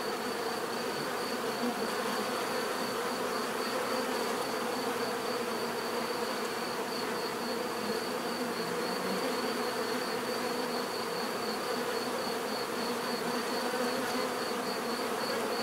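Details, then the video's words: Many bees give off a constant, even buzz, a layered humming drone holding steady for the whole stretch, with a faint high pulsing tone above it. "bees therapy relaxing natural buzzing sound"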